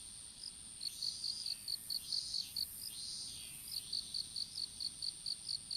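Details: Chirping insects in an outdoor strawberry field where seedlings are being planted; clipped high pulses in a steady train, a short gap midway, with soft whooshing noise and a constant thin high tone behind.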